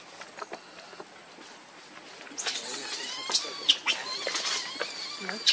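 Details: Baby monkey named Leo crying to beg its mother for milk: high, thin squealing cries in rapid wavering bursts, growing louder and more frequent in the second half, over outdoor background noise.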